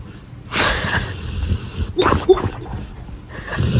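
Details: A sleeping dog snoring: a long, rough, breathy rasp lasting over a second, followed by shorter snorting breaths and another rasp starting near the end, with close, loud room sound.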